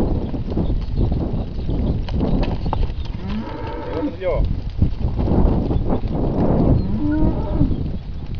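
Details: Hereford calves in a uniform sale lot of 54 hornless calves born in winter 2012, mostly Hereford and Hereford x Limousin; several drawn-out moos rise and fall midway through, over steady low rumbling herd and outdoor noise.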